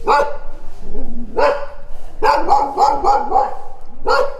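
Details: Barking dogs: one bark, a pause with a low growl-like rumble, then a fast run of repeated barks and a final loud bark.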